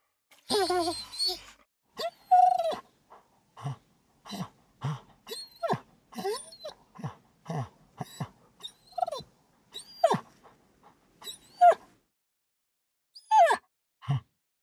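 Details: A dog grunting, panting and whining: short breathy grunts and puffs repeat about every half second, broken by high, rising nasal whines and squeaky yelps, all close and indoors with no other clear sounds.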